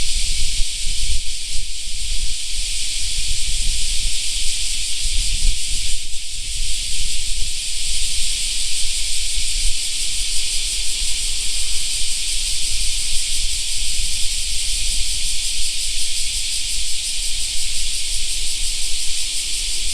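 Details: Summer park cicadas keep up a constant shrill buzzing chorus, briefly dipping around two and six seconds. A strong, continuous low rumble, like wind, runs beneath.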